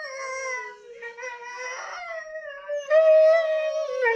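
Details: Addie, a Catahoula Leopard Dog, howls at her own recording on a laptop; sustained tonal howls sliding slowly downward, layered with echoing playback howls, a louder steadier note near the end.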